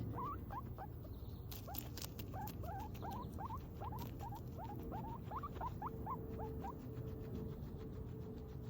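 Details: A guinea pig gives quick, rising squeaks in a steady series, with scattered tapping sounds.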